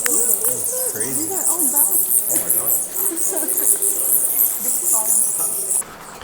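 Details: Many bats in Nam Lod Cave in northern Thailand give a dense, shrill chittering that runs almost without pause, high and thin like a continuous hiss of squeaks, while excited people talk over it; the chatter cuts off abruptly near the end.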